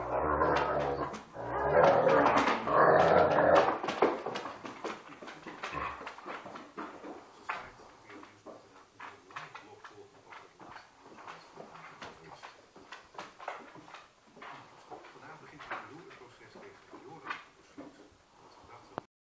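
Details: Two Irish Wolfhounds, one two years old and one a 14-week-old puppy, play-fighting and biting each other's snouts; a loud burst of growling at the start fades into softer grumbles, panting and scuffling.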